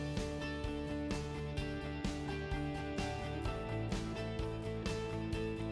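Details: Steady instrumental music with a regular beat and plucked strings; no animal voices are heard.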